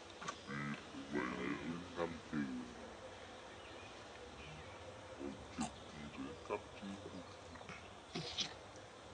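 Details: Around Angkor Wat, mother monkey Brianna lets baby Briar feed on milk; a burst of several quick, nasal harmonic whimpers in the first three seconds, followed by quieter scattered clicks and soft rustling.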